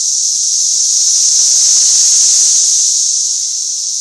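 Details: Cicadas massed in a parking lot in Tennessee during an invasion, forming a loud, unbroken high-pitched hissing drone that holds steady throughout with a slight pulsing texture.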